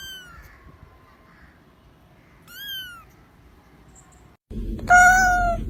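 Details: Kittens mewing in short, thin descending cries spaced a couple of seconds apart, ending with a louder, steadier drawn-out meow over a low background rumble.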